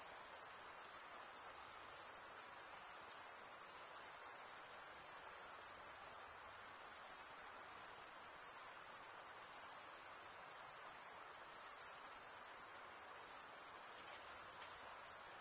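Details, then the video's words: High, ringing stridulation from male crickets, wing scraped over toothed wing vein, runs without a break as a dense even trill with faint rhythmic pulsing and small dips in volume. "Most relaxing cricket sound for 8 hours"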